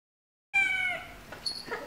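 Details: After a short silence, a baby cat lets out a single clear, slightly falling mew lasting under half a second, then softer scuffling sounds follow.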